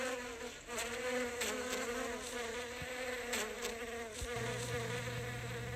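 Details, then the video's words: A bee busy foraging among flowers, captured at close range. Its humming buzz stays steady throughout; near the end a faint, low, even tone joins underneath. "Bee Sound Effect (bourdonnement abeille maia)"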